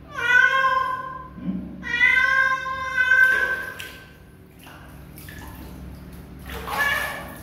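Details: Young cat meowing twice in long, level, plaintive calls, then a stretch of scraping and pouring-like noise, with a shorter, fainter mew near the end.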